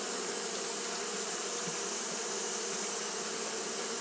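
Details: Japanese honey bees fanning at the hive on a hot day, a dense, steady hum of many wings with a low droning band and a bright hiss on top, unbroken throughout.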